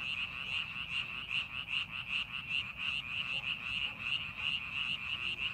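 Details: Amid farming preparations in a paddy field, a mass of frogs keeps up bright, pulsing croaks, beating roughly two to three times a second in a loud, even chorus.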